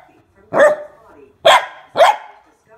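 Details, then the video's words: Scared female mini Goldendoodle puppy barks at a water bottle, three loud abrupt barks, the last two close together, with a quiet murmur of voices underneath. "GOLDENDOODLE PUPPY SCARED OF WATER BOTTLE"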